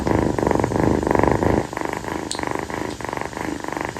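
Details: Night-time purring by Kii, a female calico rescue kitten lying on her owner's feet after playing; pulsed rumbling in clear inhale-exhale bursts, softening slightly midway, with a faint brief click.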